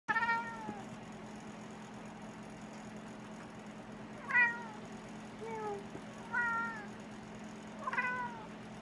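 A Maine Coon cat gives short, falling chirps and chattering meows, spaced irregularly over a steady low hum.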